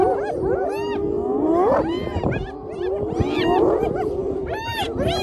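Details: Spotted hyenas seizing a lions' meal after the lions got full, recorded on an iPhone: loud, excited giggles and wavering whoops from several animals, with sharp upward yelps in bursts about every second and a half.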